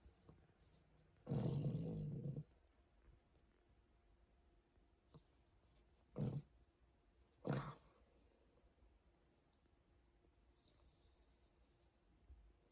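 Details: Sleeping Bichon Frise snoring: one longer low rasping breath of about a second, followed by two short snorting puffs, then quiet, with a faint steady background hum.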